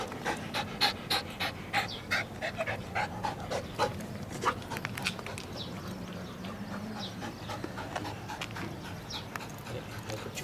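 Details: Nearly eight-month-old female Flat-coated Retriever puppy panting rapidly and steadily, about three breaths per second, strongest in the first half, with faint voices in the background.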